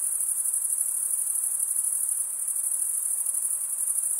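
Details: Male crickets stridulating in a dense, even chorus of high-pitched chirps, a constant shrill trill with slight rhythmic flutter throughout and nothing else audible.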